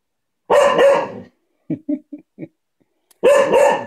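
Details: Playful barking from Coco, a male cocker spaniel, pestering for a game with his ball. A pair of sharp barks, a gap with faint soft sounds, then another pair of barks.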